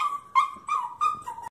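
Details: Miniature pinscher mix puppy about nine months old, left behind as its owner goes out walking the other dog, howling and crying from separation anxiety: four or five short, steady whining howls in quick succession, each held briefly before the next.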